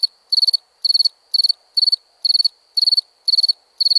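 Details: Night crickets chirp in a high, crisp series, about two chirps each second, every chirp a tight cluster of four or five fast pulses.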